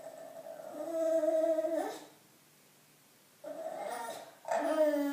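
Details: Attention-seeking bulldog Loetje in a small room gives a steady tonal whine of nearly two seconds ending in a downward slide, then after silence two more whines in quick succession.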